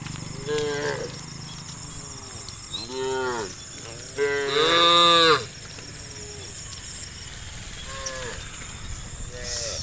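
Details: Herd of tame cows, dozens wandering along a road, calling their companions to search for grass: a series of six or seven moos, some short and bent, one loud long bellow in the middle, with steady high hiss behind.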